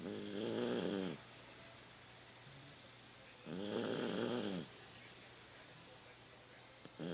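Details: Rocky, a 15-year-old pet Toy Poodle, sleeps indoors and snores loudly, as he has increasingly with age. Two gravelly, vibrating snores about a second long are separated by quiet breathing, and a third begins at the end.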